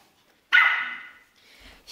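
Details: Pomeranian puppy at play gives one sharp, bright bark that trails off over about half a second, followed by faint higher noise.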